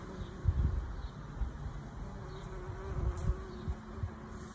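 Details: A bee buzzes in a garden in Waterford, Ireland. A faint, steady low hum runs through the recording, with soft rumbling bumps of background noise underneath.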